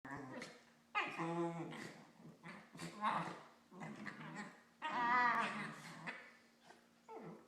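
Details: Two Corgis mouthing each other make warbling, groaning vocalizations with harmonic, wavering tones in bursts, like growly moans.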